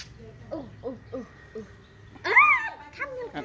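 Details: Siberian Husky vocalising: four short, soft, downward-bending whimpers, a pause, then a loud rising-and-falling whine with rich overtones, followed by another short falling whimper.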